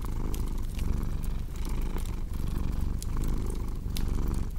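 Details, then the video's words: Cat's deep, continuous purr pulsing in breath cycles of roughly a second, with bright crackles from a cozy fireplace scattered throughout. "Purring Cat with Cozy Crackling Fireplace Sound"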